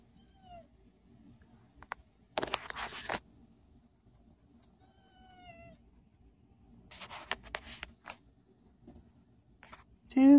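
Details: Toothless the cat meowing for the first time on camera indoors: a soft, thin meow that glides downward, among rustling and clicking handling noises, with a person's voice starting at the very end.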